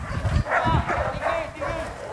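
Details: Male German Shepherd in protection training against a decoy at Vom Almere Dog Training Centre, giving a rapid series of harsh, loud barks about every third of a second, with men shouting nearby.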